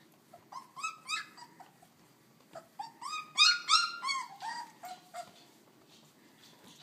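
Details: Puppies under three weeks old crying indoors, overlapping high whimpers and squeals with stacked harmonics, rising then falling, several voices calling in quick bursts with short pauses.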